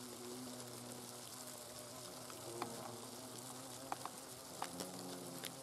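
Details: Hornets buzz in their nest with a low, wavering hum whose pitch shifts slightly, accompanied by rustling and a few sharp taps.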